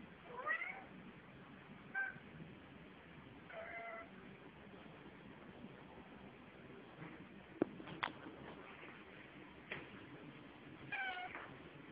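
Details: Maine Coon cat in India, looking out of a window, gives short, tonal meows, some rising and some falling, spaced a few seconds apart.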